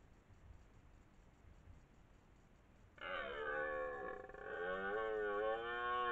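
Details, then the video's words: Twelve-point red deer stag, master of its area near Lartigau, Milhas, France, in the 2023 rutting season: three seconds of quiet, then a loud, sustained roar rich in harmonics, dipping and then swelling. "Brame du cerf"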